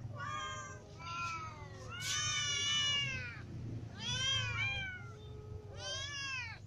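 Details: Hungry domestic cats, a ginger cat among kittens and adults, meowing for food indoors; several overlapping harmonic meows, rising then falling, in bursts about every one to two seconds, with a low steady hum underneath.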